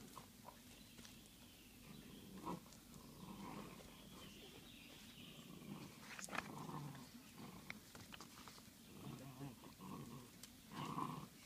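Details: Wolf puppies give soft whines and low grumbling growls in short bursts, with brief higher yelps scattered through, over a steady background hiss outdoors.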